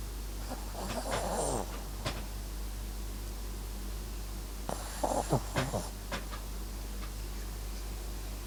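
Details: Sleeping Papillon–Japanese Chin mix named MAX gives two drawn-out, rattling snores about four seconds apart, each breath a harsh buzzy rumble, with a low constant hum between them.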